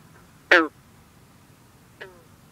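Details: Green frog, also called bronze frog, singing at night over misty water on a humid, cool evening in the 50s. One loud, plucked, twanging note, then a fainter second note about a second and a half later.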